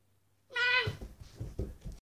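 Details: Pet cat giving a single clear meow, a short harmonic wail that rises slightly and then falls, followed by a series of low thumps and knocks indoors.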